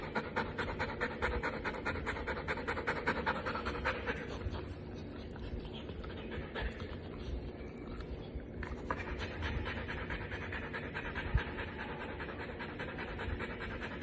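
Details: Female Golden Retriever panting steadily: fast, breathy huffs at about two or three per second that continue almost without a break, softening briefly in the middle before picking up again.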